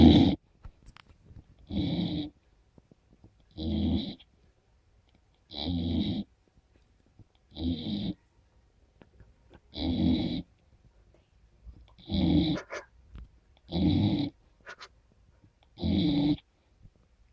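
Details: A sleeping 15-week-old Golden Retriever puppy named Mex snores in steady, rumbling breaths about every two seconds.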